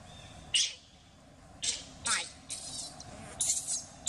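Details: Sovana, an abandoned baby monkey, cries loudly in anger while being taken back to her troop. Her cries come as sharp, high, shrill bursts, about seven in four seconds, separated by short quiet gaps over a low background hum.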